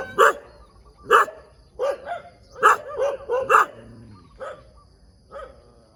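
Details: Dog on a road in the morning, giving loud, separate barks about once a second. A quick double bark comes in the middle, then softer barks fade toward the end.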